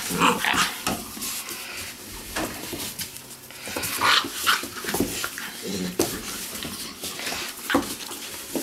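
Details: Weimaraner puppies from a litter out of Indigo and Magnum, teething and mouthing everything; short scattered high whimpers and squeaks over scuffling, rustling play noise, with a person talking softly in between.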